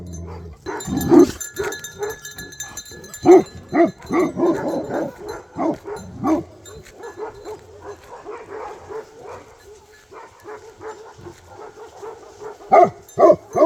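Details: Nepalese Bhote Kukur barking at a suspected leopard or wild boar: irregular bursts of barks, loud early, then softer rapid barking, and a sharp burst again at the close, with talking in the background.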